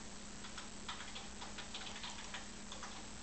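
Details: Soft, steady ticking clicks, like a clock, over a quiet hiss, with no animal voice heard.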